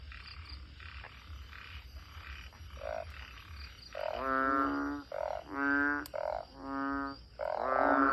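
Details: Banded bullfrogs near a house calling all night after heavy rain until daybreak; faint distant croaks at first, then loud nasal bleating calls close by, each about half a second, spaced roughly every second.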